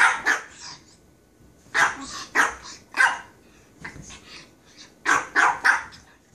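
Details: Japanese Chin barking in sharp, high, yappy bursts, often doubled or tripled in quick succession, with short pauses between the clusters of barks.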